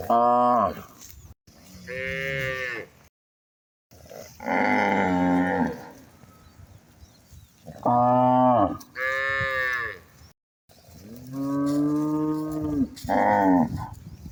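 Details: Village cattle walking freely in natural surroundings, herded toward field and forest, low again and again in long, throaty moos that swell and sag in pitch, every few seconds, several overlapping.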